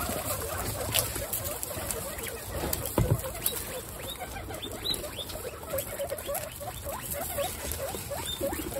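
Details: Guinea pigs at dinner in a group of 27 pets, eating a healthy meal: scattered short high squeaks and chirps over constant chewing, rustling and patter of feeding.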